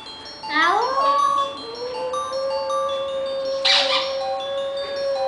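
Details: Young female Maltese dog, just over a year old, howling at a ringing cell phone at home: a rising wail that climbs then holds a steady drawn-out tone, with chiming ringtone notes playing throughout.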